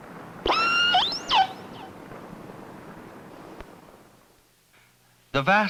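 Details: Namu, one of the first captured killer whales, gives harsh, harmonic distress cries sweeping sharply up and down, recorded by hydrophone while being towed toward Seattle in Puget Sound with other whales nearby; hissing underwater background.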